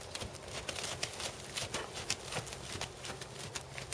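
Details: Tobias, a black 7-year-old Percheron/Thoroughbred gelding standing 16.2 hands, in dressage work: sharp clip-clop hoof strikes fall in a steady, quick rhythm, roughly three or four per second, over a low rumbling background.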